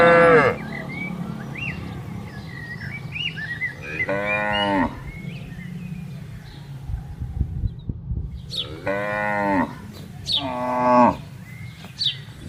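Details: Tame herded cattle on a large green pasture, lowing to call the herd: several separate moos spaced a few seconds apart over steady low background noise, with soft bird chirps.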